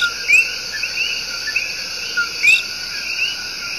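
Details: Tiny but loud coqui tree frogs giving their love song in Puerto Rico's El Yunque Rainforest: short low notes and quick rising whistled chirps, two clear calls about two seconds apart, over a steady high insect drone.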